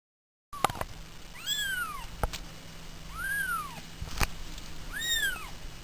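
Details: Pet cats meowing indoors: three clear arched meows, each rising then falling, spaced about two seconds apart, with a few sharp knocks between them and a quiet steady hum underneath.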